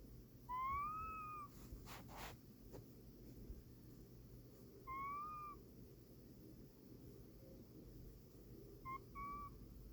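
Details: Casey, a pet cat asleep, gives soft tonal whines that rise and then fall, each under a second long, three in ten seconds, with faint breathy rustles between them.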